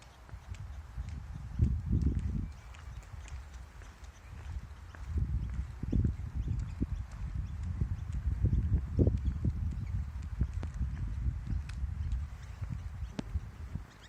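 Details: Kangaroo making low, muffled clucking pulses in irregular bursts, some bunched into quick runs and others spaced about a second apart, with soft thuds between and a faint steady outdoor hiss behind.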